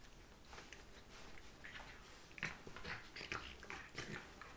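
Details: Two Scottish Terriers, Mia at 12 weeks old and Katie at 2 years old, wrestle on a bed in the morning. Short scuffling grunts and snorts come in quick, irregular bursts over a quiet indoor background.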